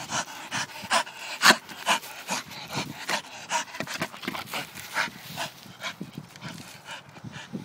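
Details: Rapid, steady panting from a Staffordshire bull terrier, roughly two breaths a second, each a sharp hissing huff, with a few faint low grunts underneath.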